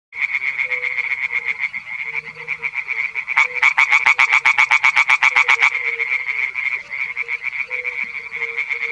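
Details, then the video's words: A male European tree frog (Hyla arborea) singing in a small pond gives a loud, rapid series of harsh, rattling 'krak-krak' notes. "European Tree Frog (Hyla arborea) - male singing in a small pond"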